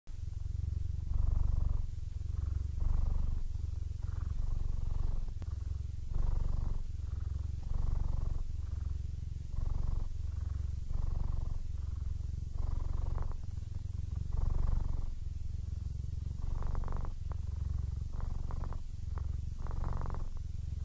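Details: A 15-year-old, almost blind male Siamese cat purrs steadily and happily, a deep rumbling throb that pulses several times a second.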